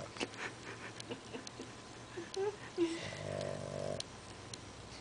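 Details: A fat pet dog sleeping indoors gives one drawn-out, buzzy snore lasting about a second. Steady background hiss and faint clicks run throughout.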